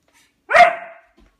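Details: Albert, a pet dog, gives a single loud bark at his food bowl, demanding food; a short sharp yap with a fading tail, indoors.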